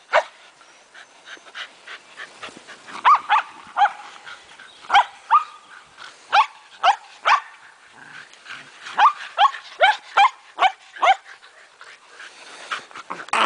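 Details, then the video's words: Shetland Sheepdogs playing together, several dogs including a pregnant female; a run of sharp, high barks in bursts, roughly two or three per second with pauses, among softer yips and a person's voice. "Shetland Sheepdogs at play"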